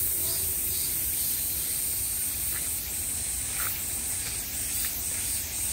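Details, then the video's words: Cicadas buzzing at the height of summer: a steady, hissing high-pitched drone, with a pulsing band near the top that throbs in regular waves. Faint low rumble underneath. "매미소리를 들으며 휴식. Cicadas's buzzing sound"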